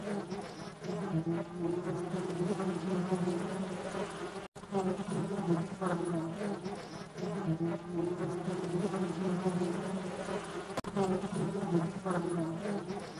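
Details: Stingless bee stuck on sugar on a kitchen slab, making much noise before flying off; a continuous low droning buzz with steady tones, swelling and fading, broken by two brief cuts.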